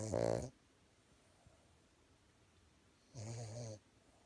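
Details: An adult male Boston Terrier snores loudly while napping in Idaho, USA, in two low, rumbling breaths about three seconds apart.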